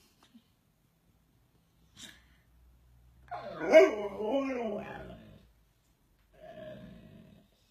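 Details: Siberian Husky dog giving a wavering, whining vocalization of about two seconds that swoops down and up in pitch, followed after a pause by a quieter, shorter whine; a brief sniff or sneeze-like burst comes earlier, in a quiet indoor setting.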